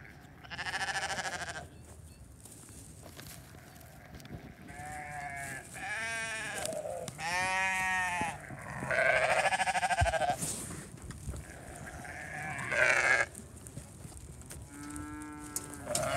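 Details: Flock of sheep being fed hay, a hungry newborn ram lamb among them; a run of loud, quavering bleats overlapping from several animals, some long and wavering, with rustling and low background noise between calls.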